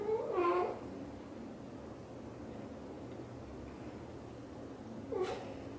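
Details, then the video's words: Xaxa, a blue golden British Shorthair mother cat, speaking to her kittens inside a small room: a bent, trilling meow at the start, a long quiet pause with steady hum, then a second short chirped meow near five seconds. "The sound of the mother cat talking to her kittens is so sweet"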